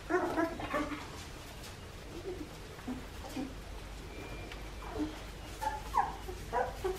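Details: Two-and-a-half-week-old Australian Shepherd pups from the litter of Poppy and Dublin squeal in short thin whines, clustered at the opening and again around five to seven seconds, with quieter gaps and a low steady hum between.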